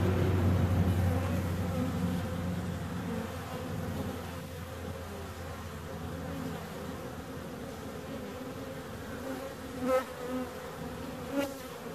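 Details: Continuous bee buzzing, a low droning hum that is strongest at the start and then softens. Brief louder buzzes pass by near ten and eleven seconds, suggesting individual bees flying close.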